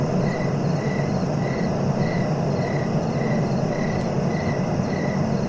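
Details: Crickets chirping in short, even pulses about twice a second, each a thin high buzz, laid over a steady low rumble of background noise.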